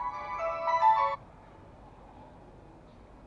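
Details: A short electronic ringtone melody plays for about a second, then only quiet room hiss, with no animal sound.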